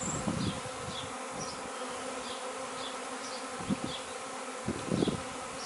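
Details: Swarming honey bees from 26 May 2013, coaxed into a box after the queen was found: a continuous droning hum with layered tones, a few low knocks, and small bird chirps repeating softly in the background.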